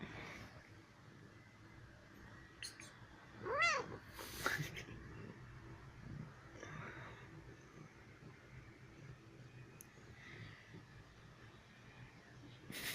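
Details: Young female house cat, just one year old, playful and seeking affection: a single brief rising-then-falling meow early on, followed by a long quiet stretch with faint clicks and rustles.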